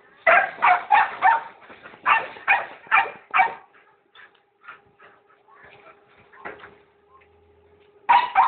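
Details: Pit bulls, more than one dog, barking in a quick burst of about eight loud, rough barks over three and a half seconds, then quieter scattered sounds over a steady low hum, and one more loud bark at the end.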